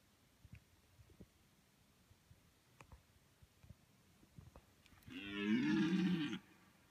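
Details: Quiet field in Latvia with faint clicks and rustles, then a mating-season deer stag lets out a single loud, throaty, harmonic roar of over a second near the end.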